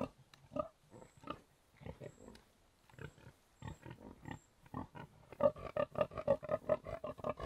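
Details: Contented pigs expressing themselves in soft grunts: short, low, nasal pulses repeating quickly and unevenly, growing louder and denser toward the end, with a faint high tone in the background.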